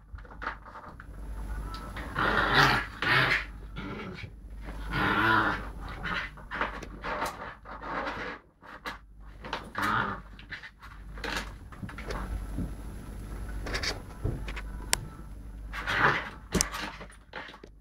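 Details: Lakeland Terrier pup Digga at play with Snoop, a Lakeland x Patterdale cross, filmed on a mobile phone; rough growly, harmonic vocal bursts and panting come in short rushes every few seconds, loudest around the third, fifth, tenth and sixteenth seconds.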